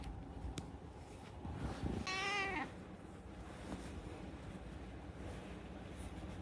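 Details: A talkative rescued house cat gives one drawn-out meow of about half a second, steady and harmonic, set against a low background hum with faint clicks before and after.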